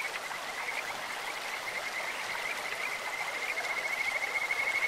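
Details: A Kajika frog in a clear stream gives a high pulsed trill, bird- or insect-like, growing louder and steadier toward the end, over rushing stream water.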